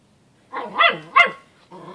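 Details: Miniature Pinscher kept as a pet dog: two quick harmonic yapping barks close together, the second sharper, followed by a faint tonal hum indoors.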